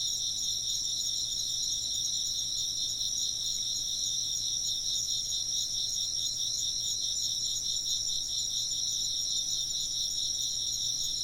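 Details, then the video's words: A constant wall of high insect chirping, with overlapping bright tones, one throbbing with rapid, even pulses while the others ring on unbroken throughout. "風鈴の音と虫の声 - wind chimes and chirping insects"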